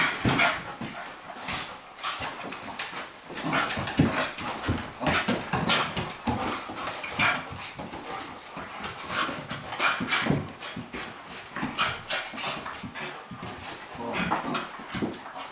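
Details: Cairn Terrier Bonzo and Flat-coated Retriever Pippi at play; rough panting, snuffling and low growly grumbles run in rapid broken bursts, mixed with sharp clicks and thuds of paws and bodies.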